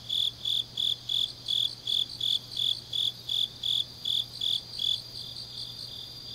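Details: Autumn night grass insects in Changnyeong, South Korea, late at night: regular high-pitched chirps, nearly three per second, that fade out after about five seconds while a thin, unbroken shrill trill carries on above.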